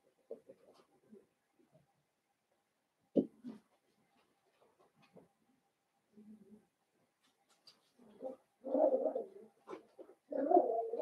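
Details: Indoor puppy pen holding five young Blenheim Cavalier King Charles Spaniels born at New Year's: sparse soft squeaks and one sharp yelp early, low muffled whimpers, then loud sustained whining cries building near the end.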